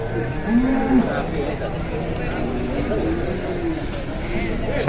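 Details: Cow burned in a barn fire at the Pati animal market, still alive, gives a short, flat, low moo lasting about half a second amid steady background noise.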